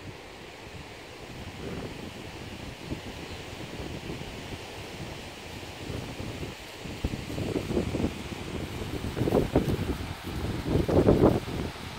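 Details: Strong wind buffets the microphone outdoors, with a surf-like rushing roar that swells in gusts toward the end and no animal voice.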